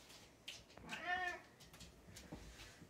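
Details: Cat meowing while getting dinner indoors: a single short harmonic meow, steady then falling slightly, about half a second long, in a quiet small room with faint clicks and rustling.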